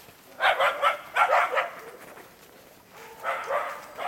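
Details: Karelo-Finnish Laika baying at an enclosed wild boar during trial training: two tight clusters of four quick, bright barks, a quiet gap, then a softer, more distant run of barking.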